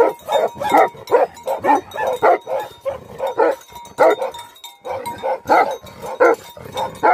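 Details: Barking of angry Tibetan Mastiffs (Bhote Kukur): loud, coarse barks in quick clusters, one short silent gap near the middle, and a thin steady tone in the background.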